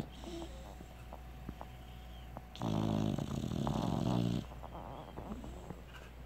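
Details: Sleeping American bulldog puppy, a female, gives a single drawn-out, throaty snore lasting nearly two seconds in the middle, surrounded by soft breathing and faint small clicks in a quiet indoor setting.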